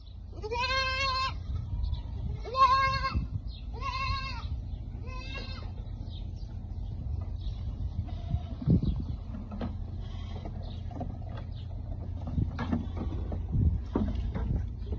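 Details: Baby goats drinking milk from bottles: four loud wavering bleats in the first six seconds, then only low rumbling and faint sucking sounds.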